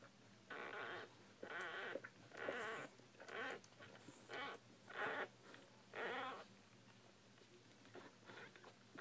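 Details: Newborn Bull Pei puppies squealing indoors, about seven loud, harmonic whining cries in a steady series roughly one a second, each rising and falling, with soft clicking and shuffling between them.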